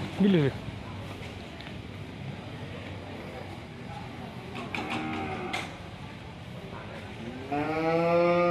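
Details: Fierce, raging cow startling its owner: a short harmonic bellow opens, then scattered clatter and knocks, and a second rich, rising-then-level moo swells loudly in the final second.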